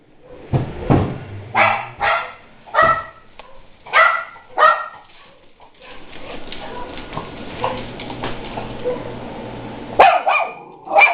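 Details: Daisy, a guard dog, barks after hearing another dog, Luke, barking outside. Sharp barks come in quick bursts about every half second for five seconds, then a noisy stretch follows and a few more barks close the recording.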